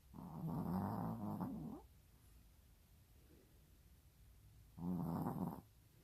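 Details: Pet dog snoring in its sleep at home: two buzzy, rattling snores, the first long and the second shorter, separated by a quiet gap of about three seconds.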